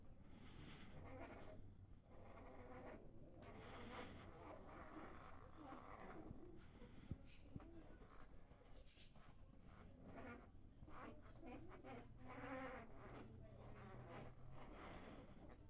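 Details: Sleeping black Labrador retriever (or goldador) puppies give soft, low hums and faint whimpers in a steady murmur.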